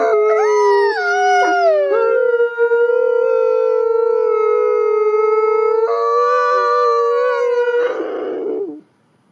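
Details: Captive-born gray wolves at a wolf conservation center in South Salem, New York, howling together to reaffirm social bonds; long steady tonal howls in overlapping voices, one holding a level pitch while another slides and shifts, ending in a rougher burst.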